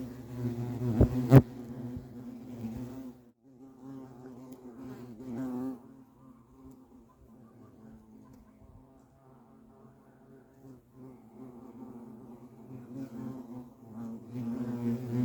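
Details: At a European hornet nest, a loud buzzing drone opens with a sharp knock, then quieter intermittent buzzing bursts come and go before swelling again near the end.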